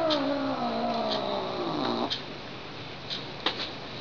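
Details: Lily, a pet house cat, caterwauls after being tapped, sounding like a theremin: a long wavering tone sliding slowly downward for two seconds, then quiet with a few faint clicks and taps.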